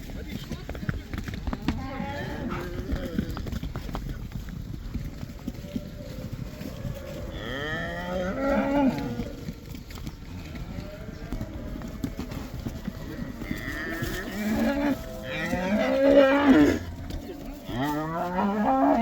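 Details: Black cows in the Netherlands being let back into the pasture, the 'cow dance' or koeiendans, low moos swelling and bending in pitch, several overlapping around the middle and end, over constant rustling and trampling noise.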